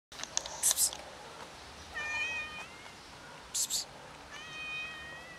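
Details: A cat approaching with affection gives two soft, short, high meows a couple of seconds apart, with faint clicks and rustles in a quiet setting.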